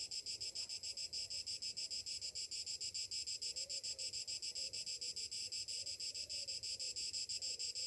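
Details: Cicadas buzzing on a summer morning: an unbroken, high-pitched whirring that throbs in even pulses over three per second, keeping a constant loudness throughout.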